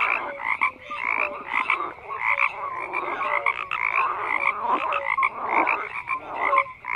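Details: A dense frog chorus of overlapping grating croaks, the individual calls pulsing quickly and swelling in volume, with occasional clear short notes.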